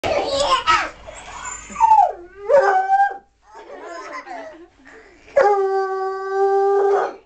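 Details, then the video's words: Redbone Coonhound, a pet hound entertaining children, gives short wavering howls mixed with voices, ending in a long steady howl with strong harmonics held for about two seconds. "Howling Fun"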